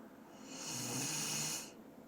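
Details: Dobermann named Doran snoring while asleep: a single breathy, hissing snore of about a second, rising and fading, in a quiet indoor setting.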